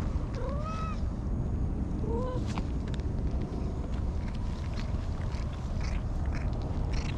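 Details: Friendly orange-and-white domestic cat being stroked, licking the hand back; two short arched meows near the start and at about two seconds, over a constant heavy low rumble of wind or handling noise.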